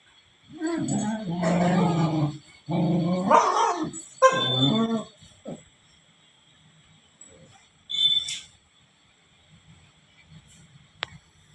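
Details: Beagles, puppy Sujata and her mother Manju, giving three long, wavering harmonic howls in quick succession, followed by a short yelp and one brief later outburst over a low household hum.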